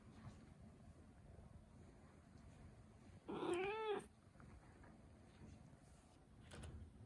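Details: One clear, drawn-out meow from a Turkish Angora cat, arched and rising then falling at the end, with a faint low hum before and after.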